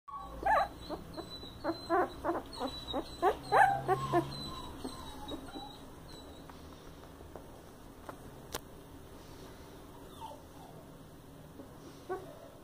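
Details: Coton de Tulear puppies from a new litter at a breeder: a run of short, sharp, high yelps in quick bursts over the first four seconds, then mostly quiet with faint rustling and a lone click.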